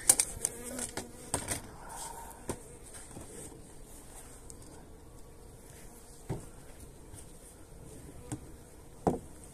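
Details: Honey bees being fed energy cakes on 29 January in very pleasant weather: a faint, steady low buzzing hum, broken by sharp clicks and knocks of handling.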